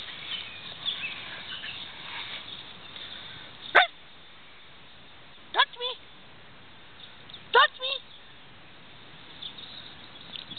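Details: A puppy, newly joined as a family member, gives three short, sharp yips spaced about two seconds apart, each a bright, falling burst with a brief echoing tail. Soft voice-like murmurs sit in the background before the first yip.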